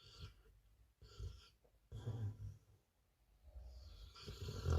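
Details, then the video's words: Sleeping Pit Bull snoring indoors: low, rough rumbling breaths in uneven cycles, loudest at the start, near two seconds and again at the end, with short quiet gaps between the snores. "Кто сильнее храпит наш питбуль или папа?"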